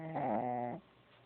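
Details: Sleeping Shih Tzu puppy snoring indoors: one buzzy, tonal snore of about two-thirds of a second with rich stacked overtones, then quiet breathing.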